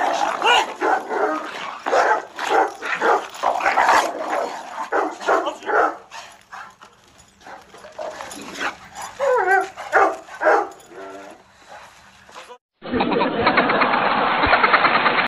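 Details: Mastiffs not getting along, several pet dogs in conflict: rough bursts of barking and snarling come in quick irregular volleys, with a rising whine near the middle. The last few seconds shift to a dense, steady, muffled roar.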